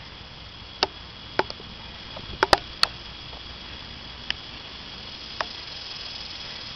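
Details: A handful of sharp, irregular knocks and clicks stand out against a steady low hiss, with no animal calls heard.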